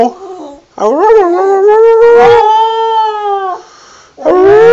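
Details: Wilson the border terrier sings a howl that climbs upward and then holds a long, steady, clear tone for about two seconds, breaks off briefly, and starts again with another rising howl.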